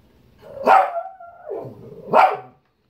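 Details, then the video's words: Shih Tzu barking for fruit it wants, two sharp barks about one and a half seconds apart joined by a drawn-out whimper between them. "Shih tzu barking for fruit"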